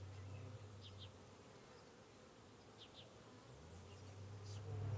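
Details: Honey bees under a bee hive: a steady low hum whose pitch slides down and back up as a bee moves, with faint short chirps in the background.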